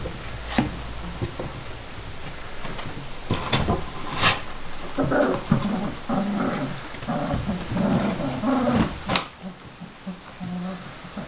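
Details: Saint Bernard puppies, the litter of Bagzi and Fany, at Bagzi's Saint Bernard Kennel in Banja Luka; low grumbling growls with tonal, whiny edges come in a busy middle stretch, framed by sharp clicks and knocks.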